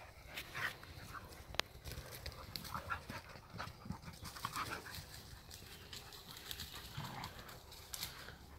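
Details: Two Heideterriers, father Willy II and daughter Wilma, at play during the closed hunting season; steady rapid panting and scuffling fill the clip, with faint whimpers and a sharp click.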